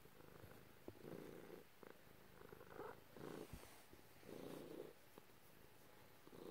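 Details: House cat purring under its owner's petting; quiet rumbling purr pulses rise and fall in an uneven rhythm, with light rustling and tapping from hands and fur.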